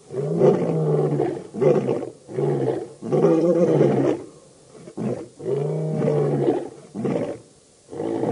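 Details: Roaring lions of the Birmingham Boys coalition at the dam, Djuma Game Reserve near Kruger Park, South Africa, August 11–12, 2016: a dense, loud sequence of heavy grunting roars with barely a pause between them.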